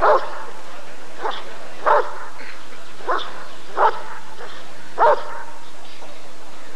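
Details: Deep, gruff barks from a Rottweiler at the 1994 ADRK breed survey (Körung), single loud woofs repeated roughly every second with a constant low hum underneath.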